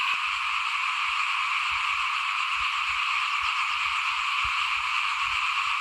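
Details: Small frogs calling in front of a house at rice sowing time, 2021: a dense, unbroken chorus of high, buzzing trills fills the air steadily, with faint low rustling beneath.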